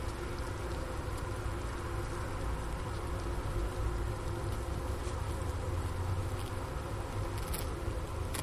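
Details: Winter honey bee hive at the Ohio State University Wooster campus, about 4 PM, January 16, 2024, outside temperature 15°F, Sony ICD-PX370 near the inner-cover opening and leftover sugar brick: a low, even, humming drone sustained for the whole stretch.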